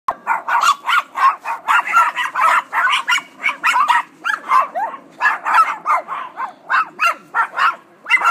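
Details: Several Chihuahuas barking together in a constant run of sharp, high yapping barks, roughly three to four per second, overlapping without pause throughout.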